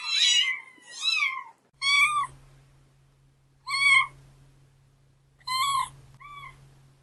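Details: Kittens meowing: short, bright meows spaced a second or more apart, some downward-curving, over a low steady hum in the background.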